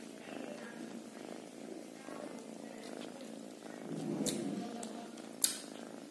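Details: Steady rumbling kitten purr that swells slightly in loudness after four seconds, with a sharp tap just before the close.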